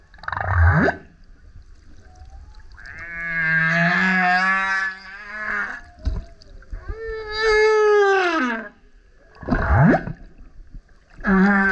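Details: Loud song of a male humpback whale that kept coming up next to a kayak: a low sweeping grunt, then long harmonic howls, one bending down at the end, followed by rising whoops and short burst-like units.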